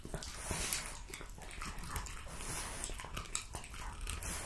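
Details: Jessica, a French Bulldog, eats raw lamb cutlets, beef schnitzel and BBQ pulled pork in a close ASMR recording indoors: dense, wet chewing with sharp crunching bites and clicks throughout, and no barking or vocal calls.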